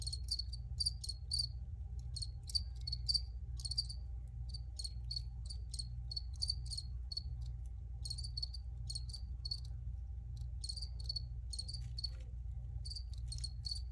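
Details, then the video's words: Crickets recorded by the filmer, chirping in short high-pitched bursts, often in quick runs of two or three, against a steady low hum. "Free Cricket Sounds for Re-Use or Relaxation"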